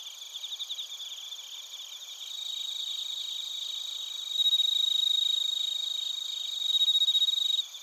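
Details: Crickets including bell crickets singing in Narita, Chiba Prefecture, Japan, TASCAM Portacapture X8 recording; fast, regular high-pitched pulsing chorus that swells in steps, with a clear sustained bell-like ringing note joining midway, then stopping abruptly near the end.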